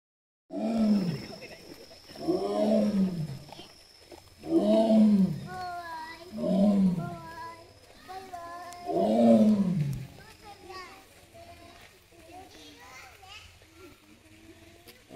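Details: Captive Amur tiger at Hamamatsu Zoo, Japan, on 24 September 2023, heading toward a bamboo grove: five deep, moaning roars arching up and down, spaced about two seconds apart, then fading into quieter background with people's voices.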